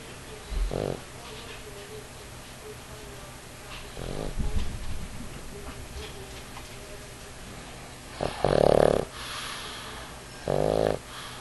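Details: Male Pug of about 50 lbs asleep on a man's knee while cuddling, snoring loudly enough to shake the house: short rasping snores spaced several seconds apart, one longer rattling snore near the end, over quiet room noise.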